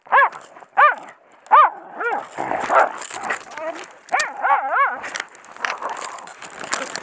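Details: Odin, a Heideterrier from von der Lönsmeute, holds a wounded sow at a driven boar hunt, giving loud clipped barks, three well spaced then a quick cluster, amid crackling undergrowth and scuffling.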